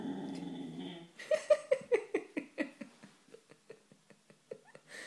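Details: Maya, a Siberian husky indoors on a sofa, annoyed while trying to hide an unwanted bone under her blanket: a short low grumble, then a run of rapid, falling whiny yips about twice a second that soften and trail off.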